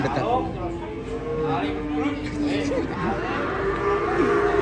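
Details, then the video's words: Angry cow unloaded from a truck, running into a motorbike; drawn-out low moos with a steady tone and a few wavering bends, over a noisy background with music. "SAPI NGAMUK SEREM SEKALI NABRAK MOTOR SAAT TURUN DARI TRUK"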